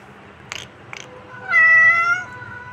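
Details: Kitten giving one clear, loud meow with a bright harmonic stack, slightly rising then falling, preceded by two soft clicks.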